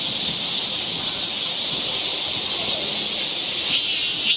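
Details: A summer forest trail in Seoul, Korea, filled with cicadas: an unbroken hissing, high-pitched drone, even in loudness throughout, with a brief brighter swell at the very end.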